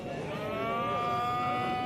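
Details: Bull at a livestock market in Kuva, Fergana region, Uzbekistan, on a rainy Sunday; a steady, drawn-out tonal moo holds one pitch for two seconds over a soft background murmur.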